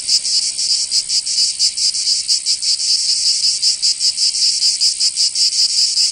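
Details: Summer cicadas in Provence, southern France, giving an intense high-pitched buzzing drone with irregular throbbing pulses, loud and continuous, no other animals or voices.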